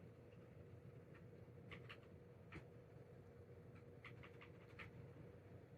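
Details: Pet cat sneezing indoors, recorded around May 2024; a series of short, sharp bursts comes in quick clusters over a low steady room hum.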